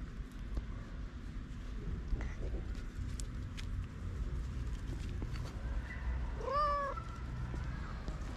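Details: Hungry feral cats waiting for food. After a long stretch of low background rumble and clicks, one short meow rises and then falls, about two thirds of the way through.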